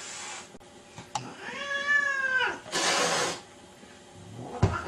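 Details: Domestic cat from a compilation of cats stealing dog beds, giving one drawn-out harmonic meow that rises and then falls, preceded and followed by a person's voice and brief rustling bursts.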